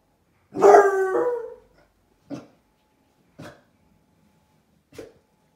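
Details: ['Young basset hound puppies indoors by a window, reacting to a stranger outside: one long, drawn-out baying bark with rich harmonics, then three short, sharp barks spaced about a second apart.']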